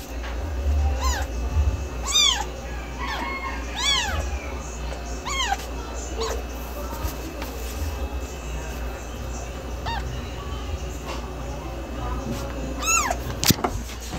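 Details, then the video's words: Cat meows, fainter and thinner, a quick cluster of short arched calls early on, then a quieter stretch and a final louder meow near the end, with constant low background noise. "gato miando , gato novo miando ,Som Barulho de Gato Miando"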